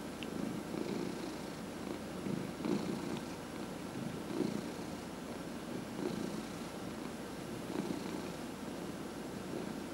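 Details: Massaged domestic cat, one of four in the home, purrs steadily; a soft rumbling purr with rhythmic surges close to two seconds apart, quiet room, faint handling noises.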